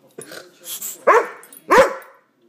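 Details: Dog agitated by a hated air pump gives two short, sharp barks about half a second apart, after faint low grumbling; a person's voice is heard briefly at the start.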